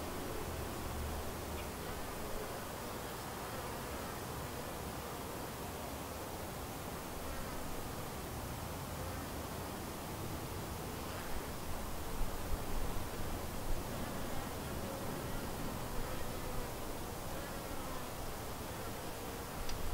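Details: Honey bees around a white hive, a colony split from another hive and doing well: a dense, steady hiss of many buzzing wings fills the whole recording, with a few louder rustles near the end.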